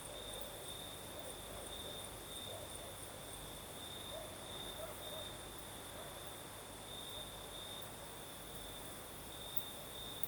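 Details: Crimean southern night, crickets singing in the night breeze: sustained high chirring with slight rhythmic pulsing, a few faint soft low tones mid-way, and an unbroken windy hiss.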